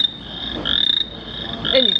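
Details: Frog calls played at an exhibit at Goose Creek State Park, North Carolina, representing frogs along the Tar River: a steady, shrill, high trilling chorus swelling in pulses, with a few lower rasping notes underneath.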